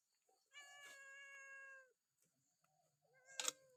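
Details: Temple cats at a Buddhist site in Chae Hom, Lampang, Thailand, fed on a misty morning; one long harmonic meow of over a second, a shorter meow after, and a sharp clatter near the end.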